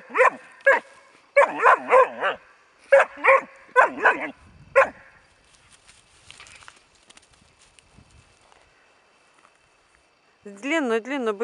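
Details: Bracco Italiano named Rus De'Viaro Venezia, four months old, barking in bursts of short sharp barks over the first five seconds, then quiet, ending with a wavering higher whine-like sound.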